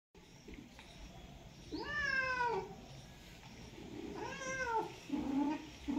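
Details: Cat during mating season, mating for the first time; two drawn-out wailing meows, each rising then sliding down over under a second, followed by shorter low moaning calls near the end.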